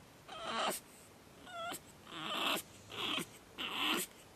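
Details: Pug puppy named Batman on his second night, screaming in four loud, harsh bursts roughly every second, each broadband and wailing with a short rising squeal between them.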